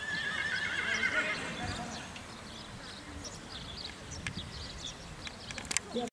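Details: Prize-winning Sir Donnerhall stallion foal whinnying in a wavering, high quavering call during the first second and a half, followed by fainter rustling, hoof clip-clop and scattered clicks.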